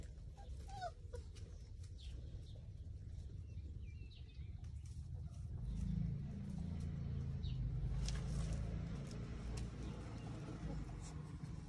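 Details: Cane Corso dog giving a few thin, high whimpers in the first second, then a louder low rumbling stretch from about six to nine seconds, all over a steady deep background hum.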